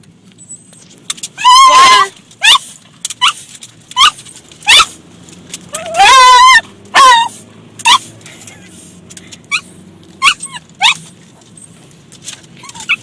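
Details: Lambert, a pet dog inside a car, barking at water hitting the car: loud harmonic barks near 1.5 and 6 seconds among shorter yelps and whines, with water patter, car noise and people's voices.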